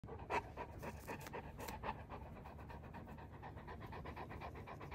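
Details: Mastiff panting while being scratched on its sweet spot: quick, breathy, irregular panting, about four breaths a second, with a louder huff near the start.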